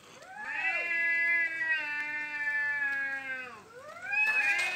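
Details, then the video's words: Fighting cats asserting dominance nearby: a sustained, overlapping caterwaul with two voices held nearly level for about three seconds, sagging downward, then swelling again into a louder rising wail. "Cats dominating while I'm cooking"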